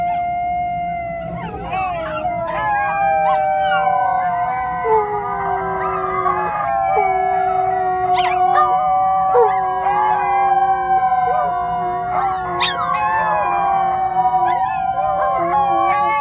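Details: Several pet dogs, Chinese crested dogs joined by a Dobermann, howl in chorus urging their owners to hurry for the daily walk; overlapping wavering howls and stepped yelping tones go on continuously over a low indoor hum.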